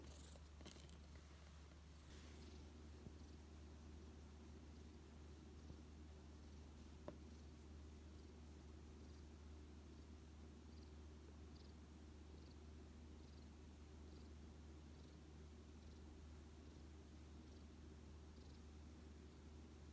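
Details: Odd-eyed white rescue cat Xiaolin, found badly weakened in autumn 2018, rests contentedly on a lap, purring in a continuous low, even rumble for the whole stretch, with a brief rustle near the start.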